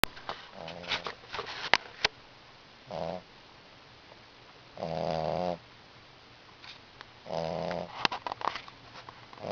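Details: Coba, an 8-week-old puppy, snoring while asleep: a few rasping breaths with soft clicks and small rustles between them.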